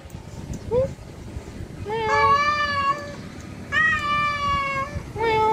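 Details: Male cat calling to a wild female: a short rising chirp, then long drawn-out tonal meows with steady pitch, three calls in about five seconds over a constant low background hum.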